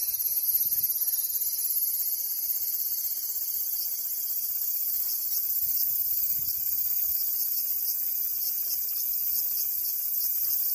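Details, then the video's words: Cicada song: a continuous, high, hissing buzz that holds steady at an even loudness for the whole clip, with a faint flickering pulse in the upper band and no other clear sounds. "Cicada Sound"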